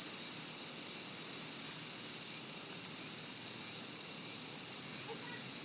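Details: Brief burst of Japanese cicadas: loud, uniform, high metallic buzzing that never drops, with only a hint of soft background noise beneath.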